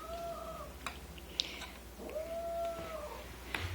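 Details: Two domestic cats, both female, growl at a newly arrived kitten indoors: two drawn-out, steady moaning tones, each about a second long, separated by a short pause, with soft clicks and household noise between.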